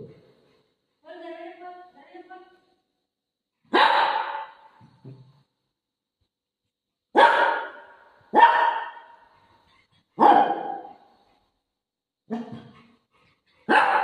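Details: Household dog waiting by the washroom door for its owner opens with a short harmonic whine, then lets out about seven sharp, irregularly spaced barks indoors.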